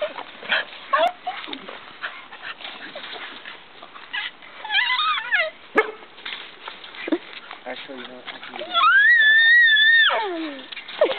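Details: A dog during a playful attack gives short yips and whimpers, then a long high whine near the end that holds steady and falls away, with people talking throughout.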